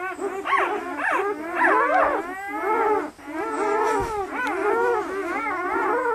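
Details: Newborn German Shepherd puppies, a litter of eight red and black pups aged 48 hours, lively, in Maine, New England; a near-continuous chorus of thin, wavering whines and squeals, several pups crying at once with brief pauses.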